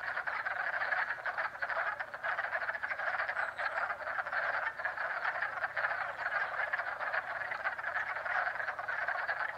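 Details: Many frogs calling together at a pond in Jackson, New York, in spring: a thick, constant chorus of fast pulsed croaking trills with no pauses.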